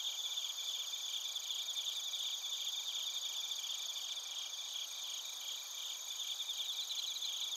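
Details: Overlapping chirps of bell crickets and other crickets in Narita, Chiba, Japan, TASCAM Portacapture X8 recording: shrill, even, unbroken high trilling from numerous insects, pulsing gently throughout.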